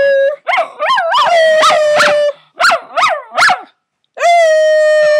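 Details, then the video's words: Howling puppy giving rapid rising-and-falling yips that run into a held howl, three more short wavering yips, a brief silence, then a steady sustained howl. "Howling Puppy"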